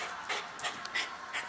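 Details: A female pet dog panting in quick breathy puffs, about four bursts in under two seconds, around her dinnertime indoors.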